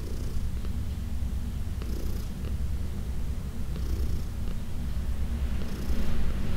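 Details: Elderly adopted house cat purring while being massaged indoors in June: a continuous deep, even rumble, overlaid by occasional soft brushing strokes and faint clicks, growing slightly louder near the end.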